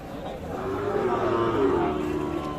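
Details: Sahiwal bull at the traditional Aftabganj cattle market, Nawabganj, Dinajpur district, Bangladesh, on Tuesday 11 October 2022: a low, drawn-out moo lasting nearly two seconds, heard through dense crowd chatter and market noise.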